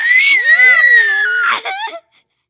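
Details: Dog making a funny sound: one loud two-second shrill scream, slightly falling and wavering, with a lower whining contour underneath, breaking off in a short raspy hitch.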